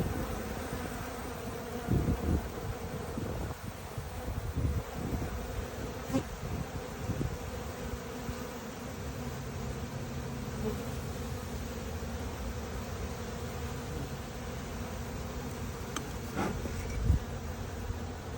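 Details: Western honey bees, about ten frames of a swarm that left their hive and settled in a small box with many drones outside, give a steady, low, droning hum of many wings beating together.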